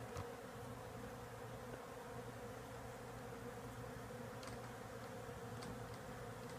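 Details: Bees by the thousands, a swarm that moved into a house's woodwork, give off a constant buzzing drone, low and level without pause, a few soft ticks sounding over it.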